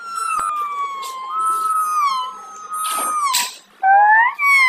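Kittens mew in high, drawn-out cries that overlap, some rising sharply at the end.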